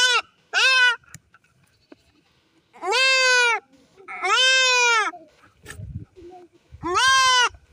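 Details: Goat being castrated, giving loud quavering bleats of one to one and a half seconds separated by pauses, with quiet handling thumps and rustles between the cries.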